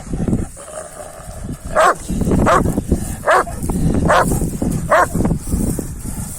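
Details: Kangal dogs, males pursuing a female, give a run of five sharp barks spaced under a second apart in the middle of the recording, over a low rumbling background with faint human voices.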